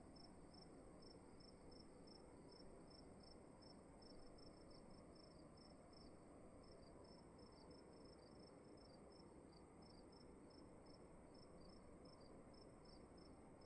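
A cricket keeps up high-pitched chirps, short trilled bursts repeated several times a second with brief pauses between runs. Underneath runs a soft, constant rumble of room noise and a faint steady hiss.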